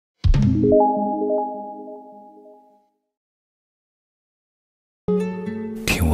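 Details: Mallet-percussion notes ring out and slowly fade to silence, then the music resumes with a brighter burst after a few seconds' pause.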